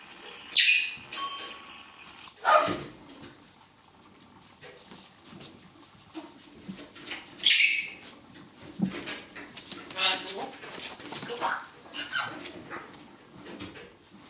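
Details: Poodle puppies of a B litter tussle with a stuffed teddy that crept into their puppy run, 17 November 2014. Scattered high squeaky yelps and short growly bursts come at irregular intervals, with soft scuffling between them.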